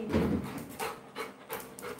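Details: Labrador Retriever named Coco panting indoors during an eager game of catch, short breathy bursts repeating about every third of a second, with a person's voice calling to the dog just before and after.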